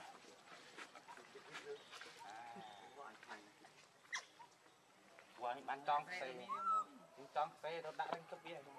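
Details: Baby macaque Leo crying and begging its mother for milk: thin, tonal, rising and falling wails grow louder in the second half, mixed with low murmuring voices and scattered rustling.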